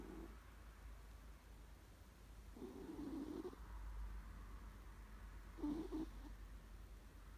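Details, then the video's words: Sleeping house cat gives a few low, grating snore breaths, one long rasp mid-clip and a shorter raspy tone near the end, over a steady low room hum. "えーっ？！ いびき💤？"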